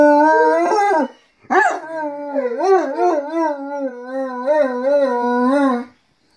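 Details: Domestic dogs howling together as their companions join in, a drawn-out, wavering, tonal howl that rises and falls in several swoops, breaking off briefly after a second before resuming and sliding on for about four more seconds indoors.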